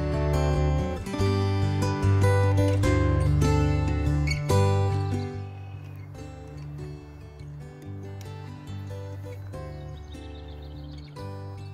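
Steady strummed acoustic guitar music with a regular beat fills the recording, and no animal voices can be picked out.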